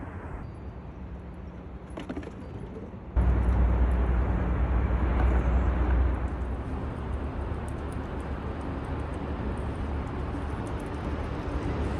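Low, steady rumble of passing traffic and engine noise, with no animal voice standing out.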